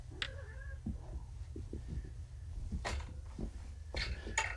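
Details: Drowsy kittens home from neutering, still on pain medication, heard inside a room. A short, thin meow comes early, followed by rustling and a few sharp bumps, over a constant low background hum.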